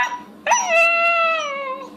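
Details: Puppy learning to howl on request: after a faint lead-in, a sudden yelp swells into a long, smooth, harmonic howl held for over a second and gently falling at the close.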